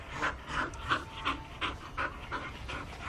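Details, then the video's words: Bull Terrier puppy panting fast and steadily, close to three breaths a second, each breath a soft airy puff, with faint background noise. "filhotes de bullterrier"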